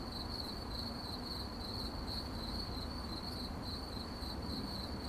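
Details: High crickets' chirping at night, pulsing quickly and evenly with slight swells in strength, over a steady low hum of ambient noise.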